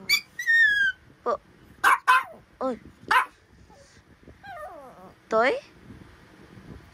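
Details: Talkative Pomapoo puppy, a Pomeranian and poodle mix, 'chatting' with a series of high yelps and wavering whines, some sliding down in pitch, irregularly spaced with brief pauses; a person's voice is faint in the background.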